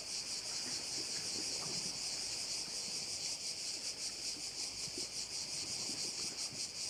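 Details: Korčula bay, Croatia, filled with crickets: an unbroken sizzling high buzz with slightly uneven rhythmic swells, several per second, over light wind and faint low outdoor noise.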